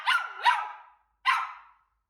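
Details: Cavapoo dog barking in frustration over a promised toy withheld or hidden where she knows it is; two quick high yapping barks, a short pause, then a single bark.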